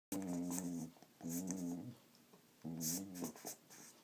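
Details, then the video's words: Female Border Collie indoors making weird noises while playing with her toy: three drawn-out, wavering low whines with rich harmonics, each about a second long, separated by short pauses, with clicking and rustling of the toy between. "Holly the Border Collie making some weird noises while playing with her toy"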